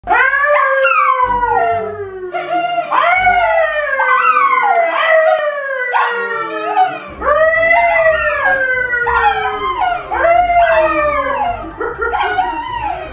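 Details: Dogs howling in a playful singing manner: repeated long drawn-out howls, each starting high and sliding downward, overlapping voices with rich harmonics, several seconds each, continuous through the clip.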